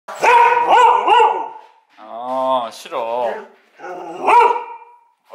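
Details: Female Border Collie begging for food under the table with a grandmother: loud, wavering, yodel-like whines that rise and fall in pitch, in three bursts, mixed with a person's voice.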